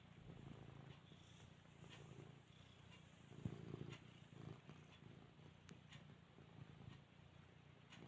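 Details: Domestic cat purring softly while trying to nap and yawning: a continuous low, even rumble that swells slightly at times, with a few faint clicks and rustles over quiet room background.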